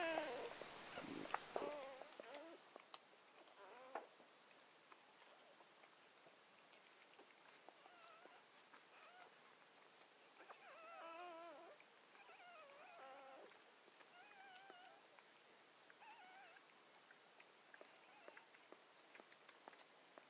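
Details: Newborn Gordon Setter puppy, seventh of nine born on October 23, 2014 to Clea, a four-year-old Gordon Setter, crying indoors after birth; faint wavering squeaky whimpers in short bursts, preceded by a loud rustling start.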